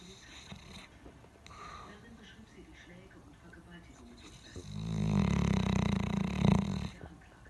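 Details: Quiet breathing and small rustles before a South African Boerboel lets out a long, rumbling, vibrating snore of about two and a half seconds, loud and low, fading back to soft room noise.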